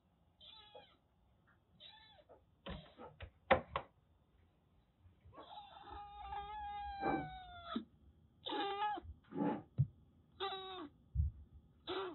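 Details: Siamese mix kitten Daichi, rescued from stray life in Kagoshima, meows during shampooing, some calls long and wavering, over running-water rush, splashes and handling bumps.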